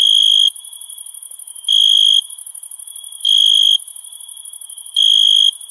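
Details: Chirping crickets on a summer night: four high, ringing pulses of about half a second, spaced roughly one and a half seconds apart, with a continuous sizzling high-pitched background hum.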